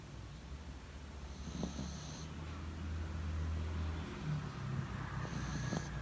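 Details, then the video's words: Yorkshire Terrier dozing in its owner's bed, recorded the morning of 28 February 2019. Soft nasal snoring with a low rumble that swells mid-clip, framed by two hissy inhalations roughly four seconds apart. "Sleeping Yorkshire Terrier💤打鼾的約克夏"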